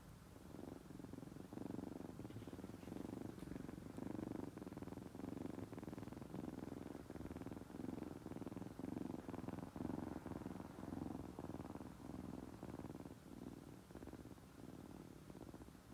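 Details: Kittens raised by hand from nursing age, a friendly group named Mungchi, Eunbi, Kkabi and Hobi, purring: a continuous low throbbing rumble with steady rhythmic pulses throughout, close and unbroken, with faint room noise.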